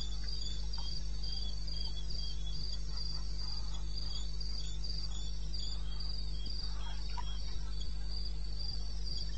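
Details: Cricket calls from the wilderness of eastern Botswana recorded in the small hours of a May night; regular, rapid high chirp pulses run unbroken over a steady low background hum.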